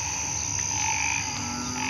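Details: A dense night chorus of banded bullfrogs and narrow-mouthed frogs calling together in a hospital's agricultural garden after rain last night.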